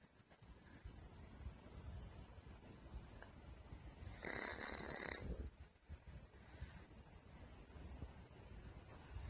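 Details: Snoring of Puchi, a pet pug diagnosed with a thymic tumour, earlier thought to have pulmonary edema: steady low rumbling breaths throughout, broken by one louder, harsh, hissing snore near the middle.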